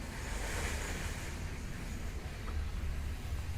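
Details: Only a steady low rumble of wind or passing traffic with no animal calls.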